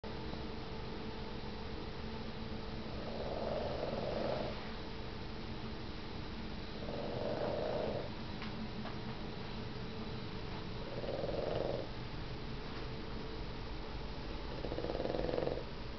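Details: A sleeping Puggle puppy nuzzled into a pillow snores softly, breathy swells about every four seconds over a steady hiss of room noise.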